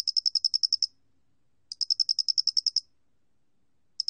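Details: High ticking chirps of a Loxoblemmus doenitzi cricket, recorded in 2020 for the National Institute of Biological Resources: two bursts of about twelve rapid, even pulses roughly a second apart, then the start of another.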